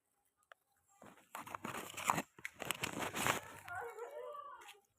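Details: Small puppy, young of a dog named Lalu, calling indoors while frightened of Lalu and perched on a staircase; harsh broadband yelps in bursts over about three seconds, ending in a short tonal whine, with a person speaking nearby.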